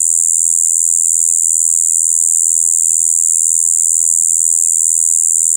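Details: Shibuiro kayakiri katydid recorded on 2 April 2023 in spring, when adults that have overwintered breed. It gives an unbroken, monotonous buzzing "bii" that mixes high and low tones, steady and high-pitched throughout, over a faint low hum.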